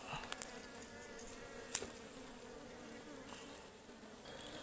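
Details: Honeybees from a wild ligwan hive being harvested in a forest: a steady low insect hum with a fainter overtone and a thin high whine above it. A few sharp clicks and knocks are heard, and distant voices are faint.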